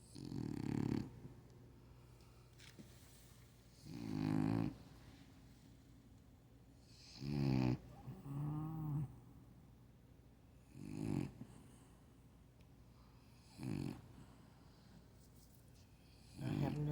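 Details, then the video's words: French Bulldog sleeping and snoring loudly, said to be only warming up: rough, rattling snores roughly every three seconds, some doubled and fluttering, with quiet pauses between in a calm indoor room. "My Snoring Grand-Dog"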